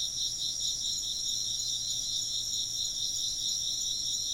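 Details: A continuous insect chorus of shrill, rapidly pulsed chirps, about two pulses a second beating through the high trilling bands, unbroken throughout, with a quiet low hum in the background.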